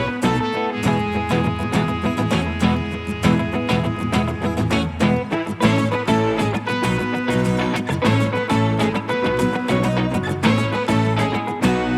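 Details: Lively swing-style music with fiddle and guitar plays loudly throughout, with no animal voice distinguishable.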